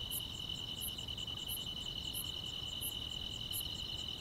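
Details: Grass insects on a summer night in the quiet countryside: a steady, continuous high trill overlaid with a brighter pulse that repeats about three times a second, over a low, soft background hum.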